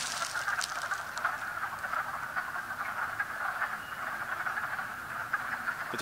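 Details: A distant chorus of wood frogs calling from water in a strip mine pit on a very warm day: many clucking, duck-like calls merging into a steady rattling hum.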